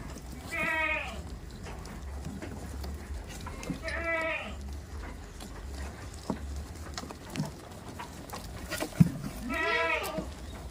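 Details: Tame farm goats calling with three strong, quavering harmonic bleats spaced about three seconds apart, each roughly half a second long, over a constant low rumble and occasional clatter.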